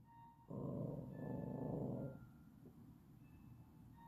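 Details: Yorkshire Terrier; play growl; asking to play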